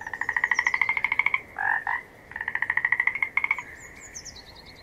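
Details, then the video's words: Frog calling in a long, rapid pulsed trill, a break, then a second trill of the same rattling croak; thin, high descending chirps sound faintly above. "Gerçek Kurbağa Sesleri"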